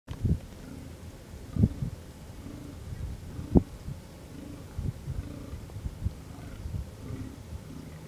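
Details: Fallow deer during the rut in the Amsterdamse Waterleidingduinen dunes, Netherlands, where bucks fight. Deep, low groans sound about every second, with a few louder thumping knocks between them over a quiet background.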